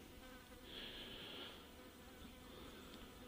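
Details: Blowflies gather at untouched meat bait in the Brindabellas, Australia, buzzing in a low, steady drone that swells briefly as one passes close, over a soft outdoor hiss.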